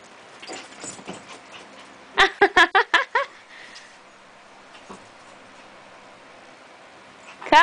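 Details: Two puppies, Ruby and Rocky, meeting and playing on Ruby's first day in the house while Rocky sizes her up; a quick run of six sharp, high yips near the two-second mark, then near-silence and a brief noise at the end.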